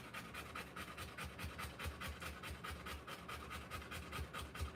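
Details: Rottweiler mother in labour with her puppies, panting hard at roughly 143 breaths a minute, each a quick husky rasp over a low rumbling background.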